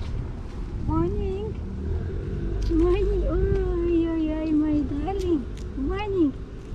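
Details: Affectionate tortoiseshell cat, a female who stands on her hind feet asking to be petted, gives a run of drawn-out, wavering meows, some rising and falling, with a woman talking softly over them.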